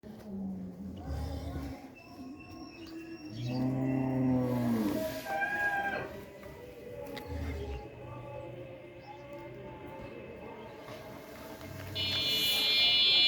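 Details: Red Friesian cow, a two-tooth heifer nine months pregnant and offered for sale in Pabna district, Bangladesh: a low, drawn-out moo rises midway, with a few short lowing grunts around it, faint voices, and a high electronic beeping at the end.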